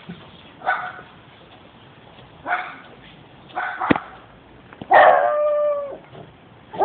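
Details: Pet dog making scattered short vocal bursts and yelps, then a longer steady howl-like note near five seconds, with quiet gaps between.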